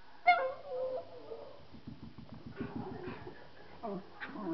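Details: Three Miniature Schnauzers howling indoors, a daily habit at home: a sharp yelp opens, then wavering harmonic whines and drawn-out howls rise and fall over a low, rapid pulsing rumble.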